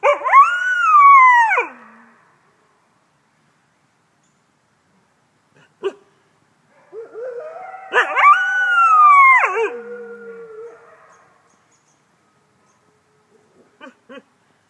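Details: Critically endangered captive red wolf (Canis rufus) at the Wolf Conservation Center, South Salem, New York, gives two wavering howls that climb, hold, then slide down, with quieter overlapping voices; red wolf howl.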